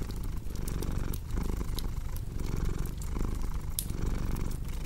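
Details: Domestic cat purring steadily indoors, a low rumbling drone that swells and fades in rhythmic breaths roughly every second, with sharp crackles and pops from a cozy fireplace scattered throughout.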